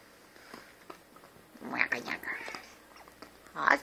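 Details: Husky, a very special albino house cat that "talks", sharing the home with another cat, Teide, and two family dogs; short tonal meow-like utterances rise mid-clip and again at the end over soft indoor murmurs and people's voices.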